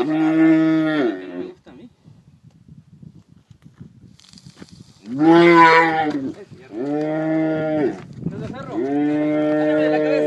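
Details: Calves being branded in Pedro Celestino Negrete, El Oro, Durango, calling repeatedly: a steady bellow, a pause with scuffling noise, then three more rich, harmonic bellows in quick succession, each about a second long.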